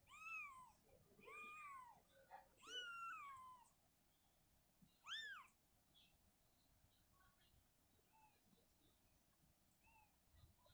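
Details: As Shizuka moves her kitten out of the cabinet to an open area, four loud bending meows ring out in the first five seconds, followed by faint, scattered small calls and room hush.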